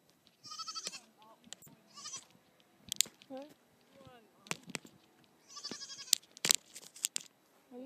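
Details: Young Nigerian Dwarf goat kid playing on a hill with another goat; several short, high, quavering bleats around the first and sixth seconds, mixed with a person talking and scattered clicks and knocks.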